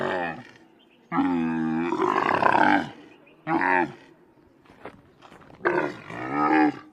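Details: Wild Bactrian camel uttering a series of moaning groans, rich in harmonics. The longest turns rough and gurgling midway, and shorter wavering groans follow after quiet gaps.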